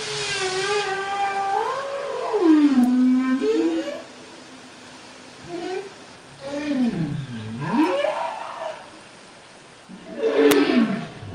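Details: Bowhead whale song recorded underwater by hydrophone in the western Canadian Arctic, sung over winter and spring: low, harmonic moans bending down and back up in U-shaped swoops, bursts seconds apart over steady underwater hiss; audible up to 100 km away.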